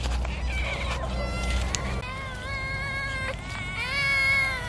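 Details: Cat being fed fish, giving drawn-out harmonic meows that overlap, with steady low rumble beneath and a short gap near the two-second mark.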